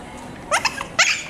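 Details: Chihuahua letting out a quick series of small, shrill yaps: one sharp bark, two lighter yips, then a second strong bark about half a second later, over faint background hum.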